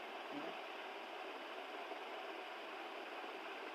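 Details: Steady broadband hiss fills the recording at low level, with no animal voice present.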